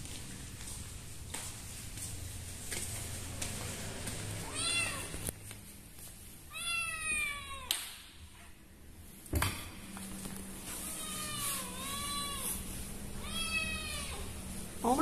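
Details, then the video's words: Kitten discovered hiding behind a door in Indonesia, crying out of fear. A series of wailing meows, some short and some longer with a rise then fall, are spaced a second or two apart over a constant low room hum. "Found A Kitten Behind The Door Crying in Fear."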